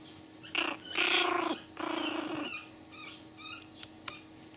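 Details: Pomeranian puppies growling indoors: short rough harmonic growls with whiny rising tones, two main bursts in the first two seconds, then quieter squeaky yips.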